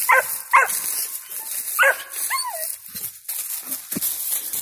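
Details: A five-month-old squirrel dog at a tree holding a squirrel gives a few sharp barks, then one longer bawl that slides downward, over constant high hissing background noise.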